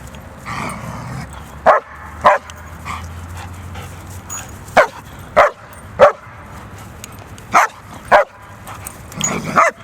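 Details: German Shepherd barking: sharp, loud, broadband barks in uneven bursts, about eight in ten seconds, some in quick pairs, over a steady low hum and faint background sound.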